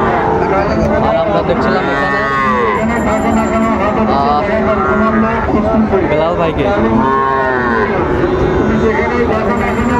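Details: Sahiwal bull calves at a busy cattle market near Chattogram, Bangladesh, on 9 September 2024: long, arching moos rise and fall twice over steady crowd chatter and bargaining voices.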